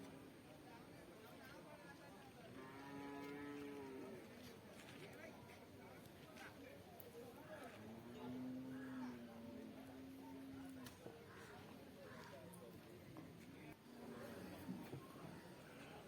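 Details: Water buffalo calves at a buffalo market in Pallikkal, Thiruvananthapuram district, on market day: two separate long, low moos, the second steady and held for roughly three seconds, over constant crowd chatter and market noise.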